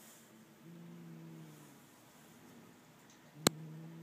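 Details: Two domestic cats, Noah and Turbo, that dislike each other, facing off indoors: a low, drawn-out harmonic growl rising and falling over about a second, then a sharp knock and the growl resuming.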